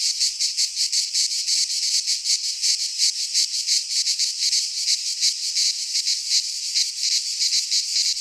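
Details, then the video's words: In a Greek pine forest in midsummer, cicadas give a piercing, continuous buzz that swells and fades in quick regular pulses, several a second, with nothing else audible. "Cicadas singing in midsummer"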